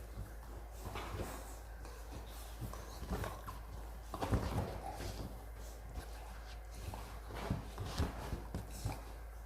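A Rottweiler puppy hiccups, each one a soft, brief jolt at uneven intervals in a quiet room.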